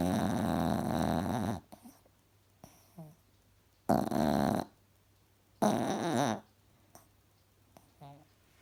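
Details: A cross-eyed Chihuahua snoring while asleep indoors: three loud, rough, buzzy snore bursts, each under two seconds, with quiet gaps between and faint soft breaths in the pauses.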